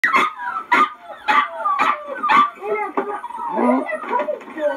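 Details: Eight noisy puppies: a run of sharp yips and barks about every half second, then overlapping high, wavering whines and squeals, with a person's voice nearby.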